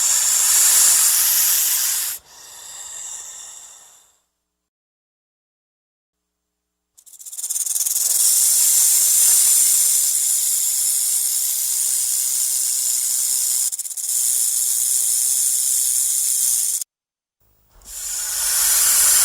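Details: Snake hissing in threat: a loud opening hiss, then a softer one, a silent gap of about three seconds, a long sustained hiss lasting nearly ten seconds with a short break, and a final hiss.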